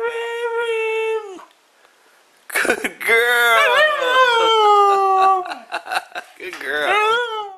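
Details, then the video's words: Mishka, a talking Siberian Husky making friends, gives drawn-out whining howls that slide up and down in pitch, rich in harmonics, in several long phrases broken by short yips, with people talking nearby indoors. "Mishka the Talking Husky Makes Some Friends!"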